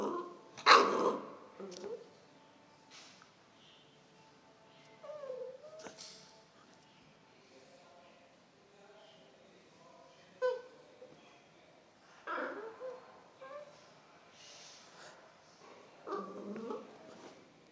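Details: A one-month-old pit bull puppy, being taught to bark with treats, gives short, high yips and whimpers between a person's quiet words.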